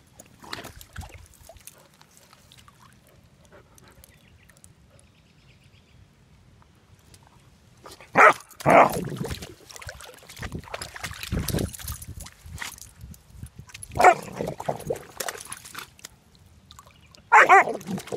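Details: Almost four-month-old German Shepherd Dog puppy meeting a pond for the first time, bubble barking in the water: a few loud broken barks spaced several seconds apart between quieter splashing and water noise.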